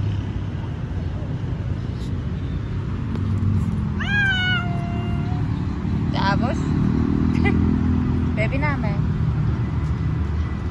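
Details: Stray street cats being petted: a clear drawn-out meow bending down then level, followed by several shorter wavering mews, over constant low traffic rumble from passing cars.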